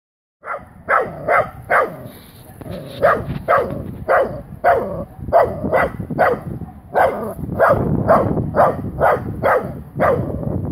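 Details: Wire-haired dachshund barking at her first meeting with a live wild boar; sharp barks repeated roughly twice a second in an irregular series, with a person calling softly nearby.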